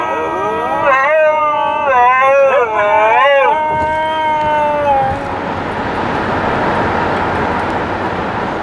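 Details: Dogs singing during a car ride: overlapping wavering tonal howls, rich in harmonics, rising and falling for about five seconds, then fading into steady road and engine rumble inside the moving car.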